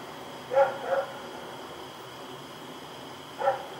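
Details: Rex the dog barking at night on 7 October 2018 while running around: two sharp barks in quick succession, then a single bark after a pause of over two seconds, over a steady high-pitched background hum.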